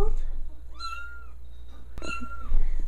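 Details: Kitten fed milk indoors at a house gives two clear meows, each rising briefly then holding a level tone, about a second apart, while people chat about it shaking and a sharp click sounds between.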